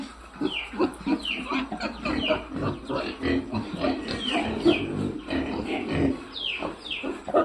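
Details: F-1 farm piglets in a busy chorus of overlapping grunts, punctuated by repeated short squeals that slide downward in pitch, several animals calling at once throughout.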